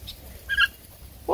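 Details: Redbone Coonhound puppies, about three weeks younger than a Bluetick Coonhound puppy born April 13, romping together outdoors; a brief high squeaky yelp, then a lower rising whine at the end, over low wind rumble.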